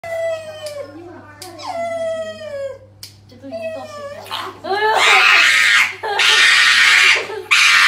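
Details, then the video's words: Male pug at the vet, screaming while his nails are clipped; high, wavering yelps sliding downward in pitch, then harsh, prolonged human-like screams, with a person talking in a small room. "Dramatic Pug Dog Scream at Vet while Getting Nails Clipped"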